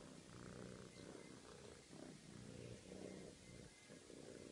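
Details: Domestic cat purring after castration surgery while receiving attention from a veterinary nurse at a veterinary surgery in Wimbledon; a low, steady rumbling purr in rhythmic pulses, rising and falling with each breath.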